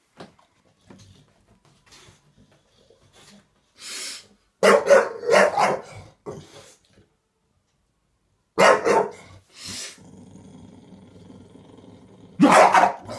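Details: Bulldog barking in clusters of rapid, raspy woofs, then a pause, a further pair of harsh barks with a low growl after them, and a final loud bark, indoors with quiet gaps.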